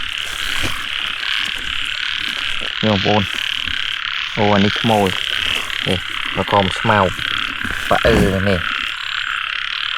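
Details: Frogs in Cambodia during the year's first rain, being hunted for catching: short clusters of rapid, throaty croaks with stepped harmonics, separated by pauses, over a constant high insect drone.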